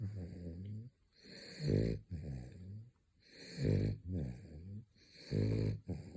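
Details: Male French Bulldog asleep in his third midday nap, snoring in a steady rhythm: low, throaty, vibrating breaths, each about a second long, alternating with brief pauses, some inhales ending in a harsher snort.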